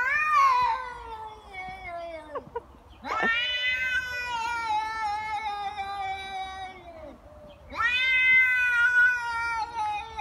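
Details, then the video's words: Angry cats fighting, loud drawn-out yowls with rich harmonics, three long wailing cries, each sliding gradually downward, separated by brief pauses. "Cats fight. Very angry cat."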